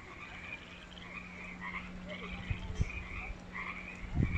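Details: Frogs chorusing in a newly constructed creek water feature at Wesbrook Village, UBC; overlapping rhythmic raspy croaks, with a steady low hum and a few knocks underneath.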